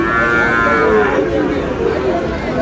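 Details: Sahiwal breed bull calf, about six or seven months old, at a cattle market on 16 March. A bright, strained bawl sweeps slightly downward over about a second, then fades into market murmur and distant voices.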